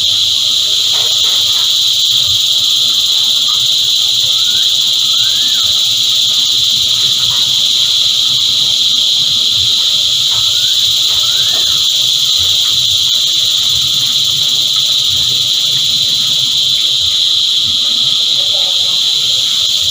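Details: Cicadas in chorus keep up a loud, unwavering electric-sounding whine. Faint short rising chirps from another creature appear now and then beneath the drone.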